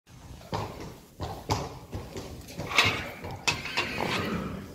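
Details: Friesian horse mares out together in the pasture for the last time, irregular dull thuds and sharper knocks of hooves landing every half second to a second, over a steady background hiss.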